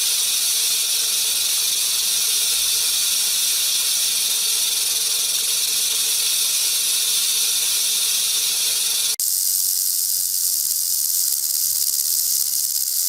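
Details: Warning rattle of a threatened rattlesnake, a venomous snake alerting predators: continuous sizzling high buzz, steady for about nine seconds, then a sudden cut to a thinner, quieter rattle that carries on to the end.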